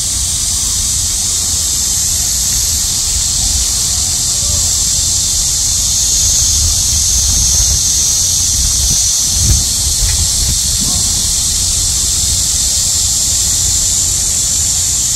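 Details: Midsummer cicada chorus during a heat wave: a dense, continuous high-pitched drone that barely wavers in loudness, over a low murmur of background rumble.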